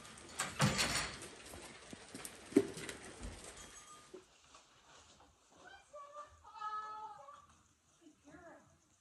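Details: Goats in a barn at night during a snowstorm, waiting for their grain at evening chores: after loud clattering and crunching noises, a few drawn-out, wavering bleats of about a second each follow, with a voice nearby.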